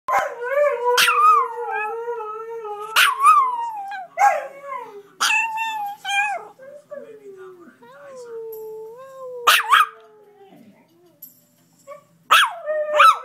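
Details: Small Chihuahua howling in imitation of a Samoyed after watching a dog programme: long wavering tonal howls with rich harmonics, sliding up and down, broken by sharp yips and short barks, several howl phrases over the span.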